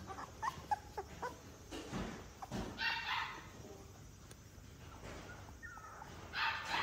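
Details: Energetic young male Alaskan Malamute puppy giving short, high whimpers and yips in quick uneven bursts, with a few louder whiny cries, shuffling noises and a faint steady hiss in the background.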